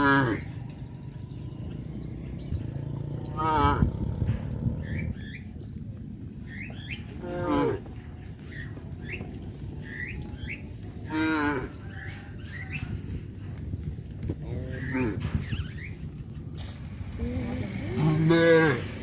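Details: Cows being led by a farmer into their pen in the evening, lowing repeatedly: several drawn-out, wavering moos spaced a few seconds apart, some overlapping, over a low rural background with faint chirps.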